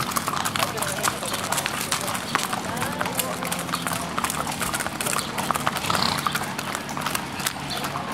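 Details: Parade of Criollo horses at sundown in Pampayasta, 3 December 2016; busy, overlapping hoof clip-clop on the street, mixed with Spanish chatter and general crowd noise.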